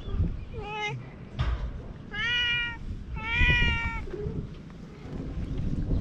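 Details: Stray cat on a cat island in Japan, recorded with a GoPro: three clear, harmonic meows in quick succession, the later two longer and rising then falling, with a faint human voice and low background rumble between them.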